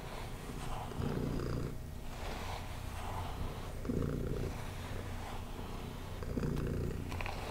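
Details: Pet cat purring during brushing, its rumble swelling with each breath, roughly every two and a half seconds, over faint rustling of bristles through fur.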